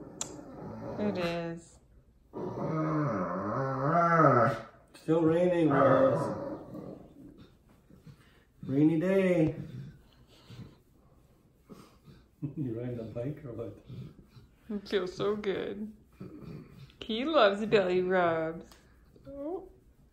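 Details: Old English Sheepdog Wallace, a pet indoors, telling his owners what is on his mind with a run of wavering, moaning whines and groaning growls, rising and falling in drawn-out harmonic bursts separated by short pauses.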